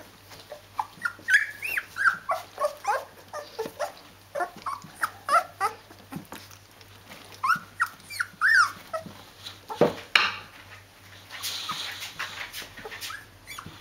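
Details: Rhodesian Ridgeback litter at 14 days old, kept with their mother: repeated short, high whines and squeaky yelps, about one every half second, with a broad noisy rustle near the end.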